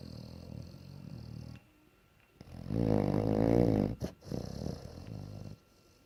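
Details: A sleeping bloodhound (Canis familiaris) snores very loudly in low, rumbling breaths, one loud drawn-out snore swelling in the middle.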